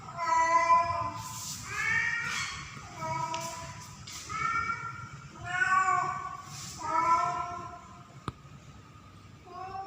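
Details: Female domestic cat named Pretty in heat during mating season, calling for a male cat; drawn-out harmonic meows repeated about every second and a half, with a sharp click near the end.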